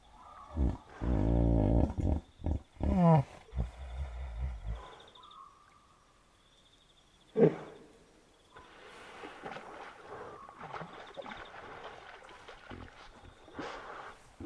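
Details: Wild hippopotamus at night by a river in the African bush of Kafue National Park, Zambia: loud, deep, rhythmic grunting bellows and wheezy honks over the first five seconds, then a short groan, with steady insect trilling throughout.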